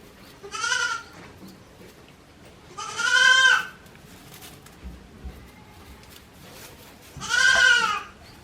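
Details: Newborn goat kids, one day old, at Yoshigake goat farm on 17 April 2024: three separate short, nasal, quavering bleats spaced a few seconds apart over a quiet, low background.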